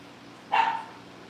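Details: Cavalier King Charles Spaniel puppy at a family home breeder, one short sharp yip-like bark lasting a fraction of a second over a quiet background hum.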